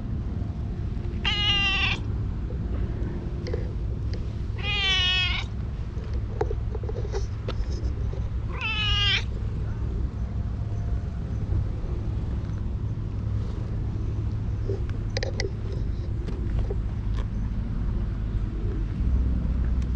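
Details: Beautiful stray cat in a park, being petted, gives three drawn-out wavering meows spaced about three to four seconds apart, followed by quieter moments over a low steady hum and faint clicks.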